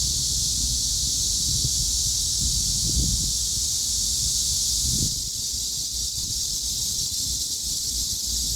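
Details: A steady, shimmering high buzz from many cicadas calling together. The level dips slightly partway through, and a low rumble with brief soft clicks sits beneath.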